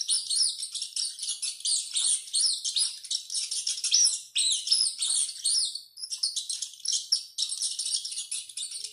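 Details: A rat squealing a great deal while running: packed, piercing squeaks and chirps for about six seconds, then thinner, scattered high squeaks to the end.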